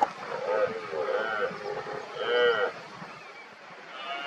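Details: Rutting red deer stags in 2023, worked up and roaring repeatedly as smaller rivals prepare to challenge an injured dominant stag; three deep, arching roars in quick succession, the last the longest and loudest, then quieter calling farther off.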